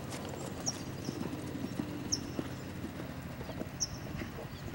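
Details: Lavrador, a Lusitano stallion, moving with clip-clop hoofbeats: a steady run of sharp knocking steps over a low droning hum, with brief high chirps recurring now and then.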